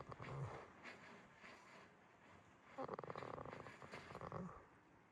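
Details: Jitta, a goat asleep at Yoshigake Farm in Himi, Toyama, Japan, snores softly: a short rough rattle, then a longer pulsed, buzzy breath lasting almost two seconds, low and quiet against a still farm background.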